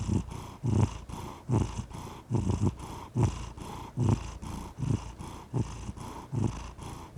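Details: Domestic cat purring steadily and contentedly, a deep low rumble pulsing in regular waves roughly every half second to second, each breath swelling louder then easing, with no other sounds.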